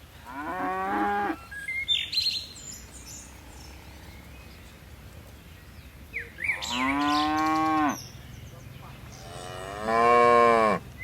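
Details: Dozens of tame cattle leaping down a mountain hillside. Three loud, rich moos, each rising then falling, with a short bird chirp between the first two and a quiet background.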